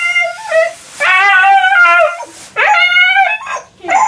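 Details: Husky throwing a tantrum at bath time, letting out long wavering howls and whining yowls with rich harmonics, three drawn-out cries broken by short pauses.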